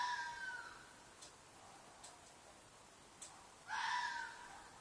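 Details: Red fox shrieking at night from a field behind an apartment: the tail of one hoarse, harsh scream fades, then a second loud, rasping shriek bursts out near the end, with faint clicks and steady background hiss between.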